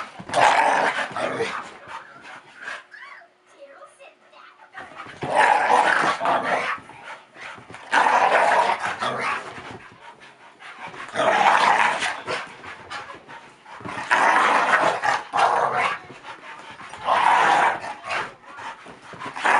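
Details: Two dogs, a Staffordshire Bull Terrier and a Collie cross named Kasper and Zoey, play rough and box on their back legs; snarly growling bursts come roughly every three seconds, with a person's voice in the background.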